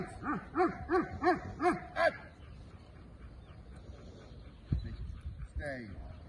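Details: Belgian Malinois at the start of executive protection training, giving five quick, arched barks in a steady rhythm over two seconds, then quiet with faint rustling and a brief voice-like sound near the end.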